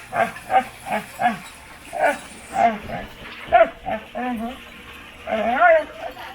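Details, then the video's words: Pet dog making silly, funny noises while scratching its own back: a run of short, moaning yips and grunts with wavering, harmonic tones, some drawn-out and bending, coming in irregular bursts across the clip. "Silly dog noises while scratching his own back"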